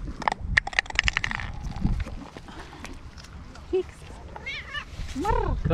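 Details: A hungry stray tabby cat from a wharf in Istanbul, where cats sit by fishermen hoping for fish, gives two rising-then-falling meows near the end after clattering, clicks and a person calling it to come eat.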